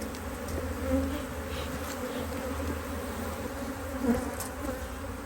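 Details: Honey bees in a Hive IQ beehive in Australia, almost mid-Autumn 2023, the hive opened to add a box of empty frames during fine weather; a steady low droning hum with stable layered tones, swelling slightly near one and four seconds.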